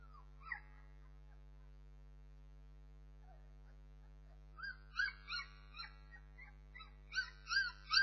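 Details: Whining Bernese Mountain Dog puppies: one brief squeal, a quiet pause, then a rapid series of high, bending whimpers and yelps growing louder toward the end, over a constant low hum.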